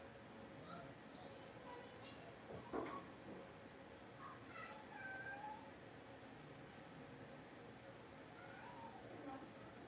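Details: Puppies indoors during a livestream kept running through a power outage, giving a scattering of thin, high whimpering squeals and short rising whines spread across the stretch, quiet against a steady room hum, with a brief thump near the middle.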